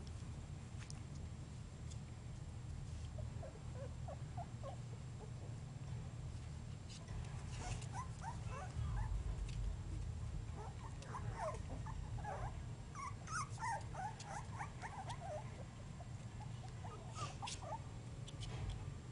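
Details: Three-and-a-half-week-old Basenji puppies make a scattered chorus of thin, quick squeaks and whimpers that grows busier after the opening seconds, over constant low background hum and light rustling.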